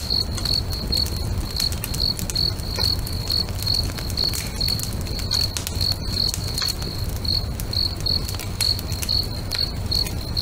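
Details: Lakeside crickets at sunset chirp in a regular, even pulse of bright high notes, roughly two per second, while a bonfire snaps and crackles with sharp clicks and a deep low roar underneath.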